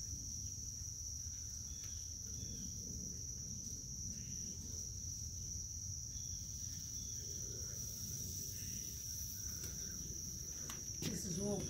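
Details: A cricket sings a constant high, ringing trill from start to finish over a rumbling low background, with brief clicks and a short burst of other sound near the end.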